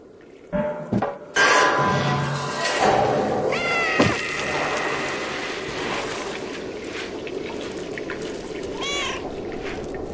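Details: A cat meows twice, drawn-out rising and falling meows near the middle and end, half buried under steady rushing, pouring-water-like noise after a few thumps at the start.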